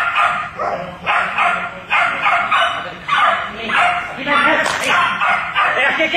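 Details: Border Collie barking during an internal agility competition at Club la Silla on 4 October 2009, with another border collie present; loud, rough barks repeat roughly every second over a noisy background with people talking.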